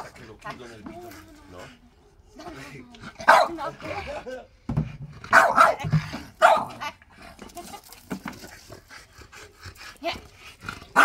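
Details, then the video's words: French Bulldog arguing with its owner over his chair: a woman's voice talks at the start, then bursts of gruff barking and grumbling break in, mixed with more speech. "French bulldog argues with mum for his chair"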